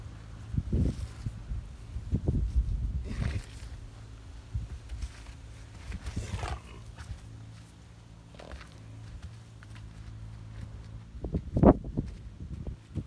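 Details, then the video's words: Friesian horse named Romeo, muddy and rolling in the dirt, gives short, rough, breathy snorts in low noisy bursts near one, two to three, six and twelve seconds, with rustling and thudding from the rolling between them. "Muddy Friesian Horse Rolling And Snorting In The Dirt"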